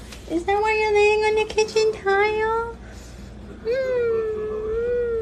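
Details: Kitten meowing in a long drawn-out, tonal wail at moderate pitch, held for about two seconds with a slight rise, then broken into shorter bursts and repeated after a pause; a person says wow.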